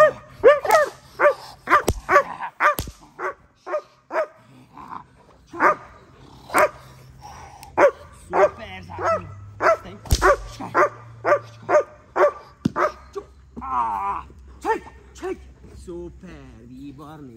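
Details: German Shepherd in protection training, barking in loud, sharp bursts about twice a second, rhythm uneven with brief pauses, a human voice heard now and then between barks.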